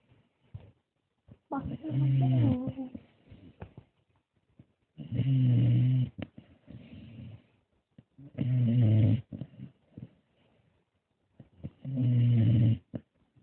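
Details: Dog snoring indoors in a small room, deep rhythmic low rumbling snores about every three to four seconds, each lasting around a second, with soft breathing sounds between.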